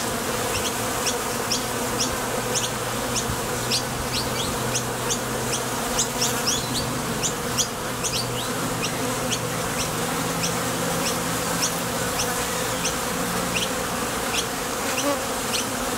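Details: A continuous, even drone of honey bees leaving and landing at a Top Bar Hive entrance on their way to collect nectar. Brief high upward-sweeping chirps sound roughly every half second throughout.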